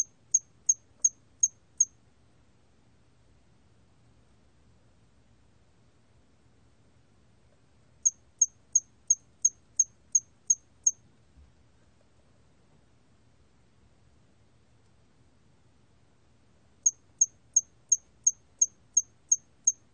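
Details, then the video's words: Hairy cricket from Korea, recorded in 2020, singing in bursts of six to eight high, sharp, evenly spaced chirps, each burst separated by roughly six seconds of near silence and soft low background noise. "털귀뚜라미, 여러번 듣기, 곤충소리"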